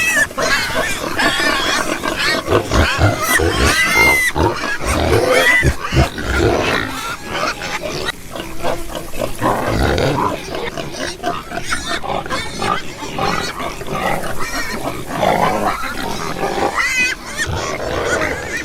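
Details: A group of farm pigs grunts rapidly and irregularly, low snorting oinks mixed with occasional short high squeals from different animals.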